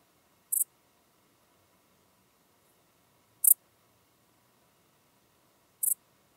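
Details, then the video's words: Three short, sharp, high chirps from a common dark bush-cricket, spaced about three seconds apart, recorded in Tuttlingen, Germany, on 8 October 2022, otherwise nearly silent. "Pholidoptera griseoaptera -- Gewöhnliche Strauschrecke -- Common Dark Bush-cricket"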